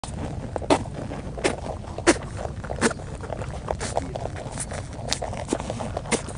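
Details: Rabbit on Okunoshima, the Rabbit Island in the Seto Inland Sea, Hiroshima Prefecture, Japan, chewing outdoors: sharp crunchy clicks at an uneven pace, roughly forty-four a minute, over a low rumbling background.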